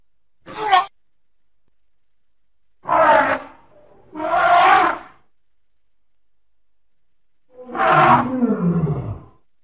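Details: A playful baby elephant makes four short, rough, harmonic hoots at uneven intervals. The last call is longer and slides downward in pitch.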